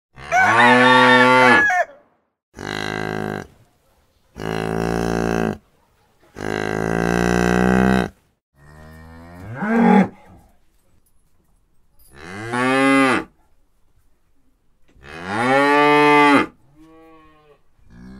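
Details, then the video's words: Cow mooing repeatedly, about seven long, deep, harmonic-rich moos, each lasting one to two seconds and separated by short silences, some rising then falling in pitch toward the end. "Cow sound"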